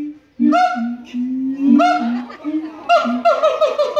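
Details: A female siamang (Symphalangus syndactylus) at the Los Angeles Zoo sings loud, hooting notes, some held and some bending up and down; her songs last 5 to 20 minutes.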